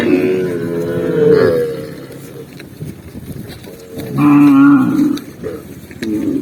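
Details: Tame cattle herded along a green forest path give two drawn-out, harmonic-rich moos, the first near the start and a second around four seconds in, with quieter rustling and a faint voice between them.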